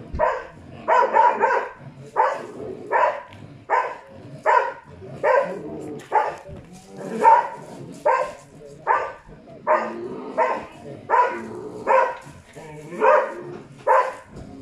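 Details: A Karelian Bear Dog bays at a mechanical test bear during a bear-baying test in Tornio, Finland, 28 June 2019, with steady, sharp barks about once a second.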